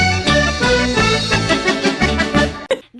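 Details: Bouncy accordion-led tune with plucked accompaniment and a steady beat, cut off abruptly near the end.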